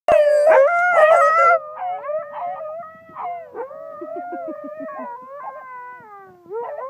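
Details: A Siberian Husky howls at a park in a long, tonal howl that starts loud, bends up and down in pitch, then softens, while basset hounds join with short, pulsing yowls.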